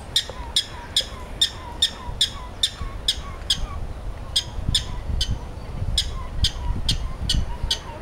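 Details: At a zoo, a prairie dog gives sharp, chirpy barks, repeated steadily about twice a second over a low background rumble.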